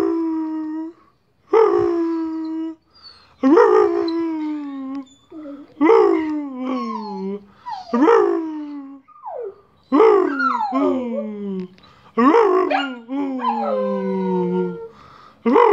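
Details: A pet dog named Bosco howls and sings while fetching the post, giving repeated drawn-out wavering howls that start high and slide downward, each lasting one to two seconds with short breaths between, some ending in whimpering yelps.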